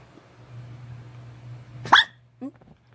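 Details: White-furred Maltese-Shih Tzu half-breed dog giving one short, sharp yip-like bark, followed half a second later by a softer, lower hiccup-like sound, over a steady low electrical hum.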